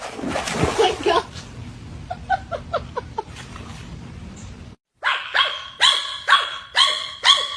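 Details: Little dog making noise in its owner's ear: a jumble of mixed sounds, then a short pause followed by a run of sharp, high, harmonic yips repeated about every half second.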